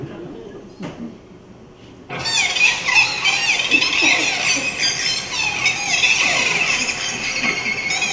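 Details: Pacific white-sided dolphins of the BC coast, nicknamed "killer whales on helium", trade rapid, high-pitched squeaky whistles and chirps in a busy overlapping chorus.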